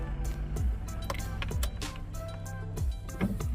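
Background music with low mechanical vehicle sounds and faint clicks; no animal is heard.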